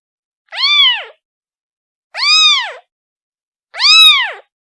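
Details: Kitten crying for its mother: three drawn-out, arched meows, each about half a second long and spaced about one and a half seconds apart, in a quiet setting.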